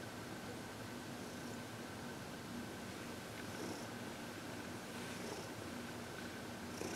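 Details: Purring from Heidi, a 14-year-old former shelter cat from the Humane Society of New York City, relaxed under massage and reiki, February 22, 2021; even low rumbling with occasional soft breath sounds and a steady room hum.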